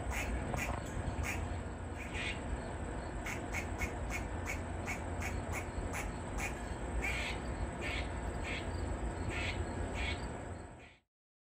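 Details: Grey squirrel in a tree, barking and flicking its tail as a distress call with a predator nearby: bursts of sharp, clipped barks in uneven runs, pausing between volleys, against constant low-pitched background rumble until the sound cuts off.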